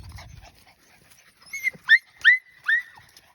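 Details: Australian Shepherd puppies out exploring a farm; a series of four high, sharply falling whines or yips about every half second, after a brief low rumble at the start, otherwise quiet.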